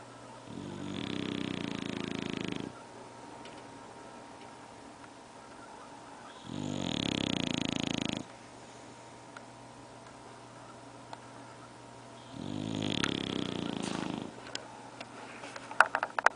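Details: Bulldog snoring three times, each a harsh, rattling breath lasting about two seconds and recurring every five to six seconds, with quiet pauses between and a few sharp clicks near the end.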